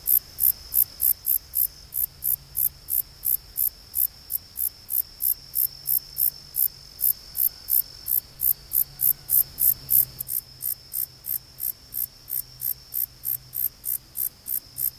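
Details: Conocephalus gladiatus katydid calling: a steady train of short, high, rasping pulses about three per second, evenly spaced, with a faint low hum underneath.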